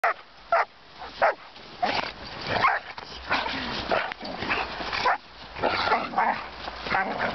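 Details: Giant Schnauzer with a four-month-old puppy: short, sharp barks and higher yips come in irregular bursts roughly every half second to second, with gaps between clusters and some mixed vocal noise.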